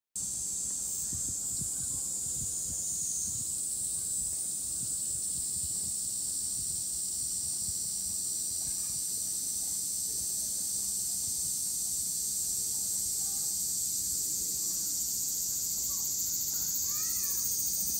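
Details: Cicadas in full chorus: a dense, steady, high-pitched buzzing drone that holds unbroken for the whole stretch, with a few faint short chirps near the end.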